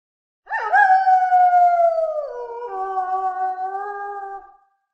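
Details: A single wolf howl: a long, clear, tonal note that rises sharply at the start, holds steady, then drops in pitch midway and trails off into a lower sustained tone, with no background sound.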